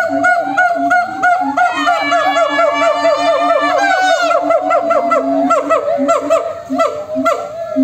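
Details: Group of monkeys calling back and forth, loud and continuous: low steady hoots repeated in a quick rhythm beneath rising, climbing whoops that build into a long ascending series before falling back to choppy overlapping notes.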